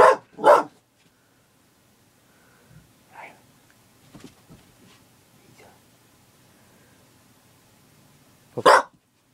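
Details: A female Border Collie in a barking frenzy gives loud, sharp barks, two close together, then a pause and another.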